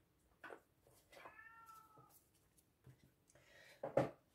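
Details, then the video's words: Male domestic cat meowing in the background indoors while its owner talks and films; one soft, drawn-out, slightly falling meow in the middle, with faint thumps and handling noises around it. "I think you can hear my cat he's keeping you entertained in the background uh okay this one has got this beautiful beautiful"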